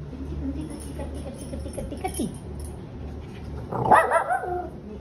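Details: Two Shih Tzus, a pair kept as pets, with one giving a brief rising and falling whining yelp with clear harmonics near the end, after quieter murmuring and faint voices earlier; low background hum throughout.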